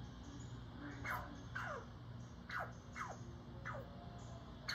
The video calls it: Squirrel Barking at Cat